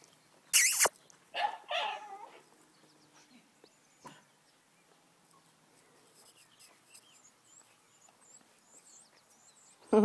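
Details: Dogs at play outdoors, with three loud, harsh barks in the first two seconds, then a long quiet stretch with faint background noise before another sharp burst at the very end.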